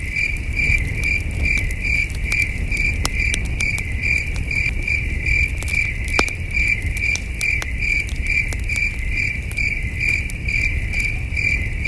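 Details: Crickets at a starlit campsite keep up a high, regularly pulsed chirping throughout, overlaid by frequent crackles and snaps of a warm campfire and a deep background rumble.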